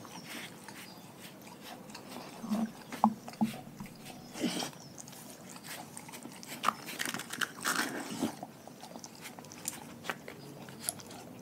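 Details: Raw-fed dogs from a pack chewing their food in a small room: steady moist chewing with clustered crunching bites, loudest around the middle and again near the end, with occasional clicks of teeth.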